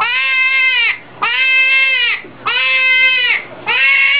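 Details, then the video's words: Hedgehog screaming: loud, harsh, drawn-out squeals, each about a second long, repeated four times with brief breaks between them. "صوت القنفذ"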